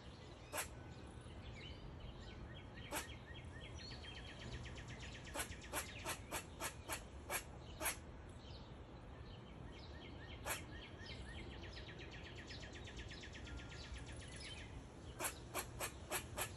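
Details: An Eastern gray squirrel in a maple tree gives sharp, irregular chips broken up by stretches of raspy, buzzy chatter.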